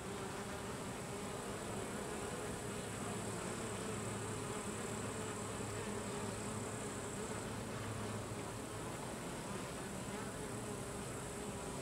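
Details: Crowded buzzing of Carniolan honey bees as workers push drones out of the colony, an unbroken low hum of many wings with a faint high whine above.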